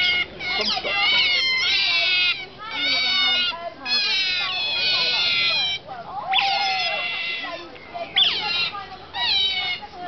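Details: Near feeding time on 18 May 2008, otters at Shepreth wildlife park give strings of shrill, harmonically rich squeals and chirps, some rising then falling, in dense bursts of one to two seconds separated by brief pauses.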